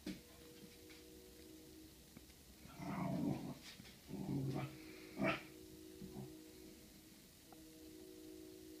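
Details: A Corgi meeting its own reflection in a mirror, described as somewhere between a mating call and a dance-off, makes short bursts of low growling and grumbling whines indoors, with a steady electrical hum underneath and quiet gaps between.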